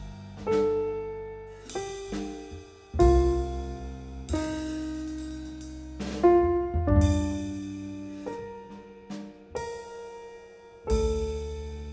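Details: Slow piano music with struck chords that fade between notes, and no buzzing or other animal sounds.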